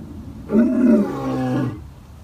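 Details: A lion named Joseph at a big cat rescue gives one deep, throaty roar in the evening before rain, swelling suddenly, holding steady, then fading away; lion (Panthera leo) roar.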